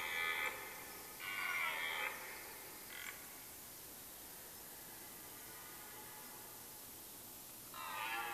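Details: Rut of red deer in a Mecklenburg-Vorpommern forest, Germany, end of September: a rutting hart utters short grunting roars in quick succession, then falls silent for several seconds before another roar starts.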